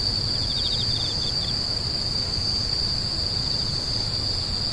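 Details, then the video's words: Grass insects giving a constant piercing hum, while a second caller adds a quick series of pulsed chirps during the first second and a half, then stops; faint low rumble behind. "The sound of insects crying"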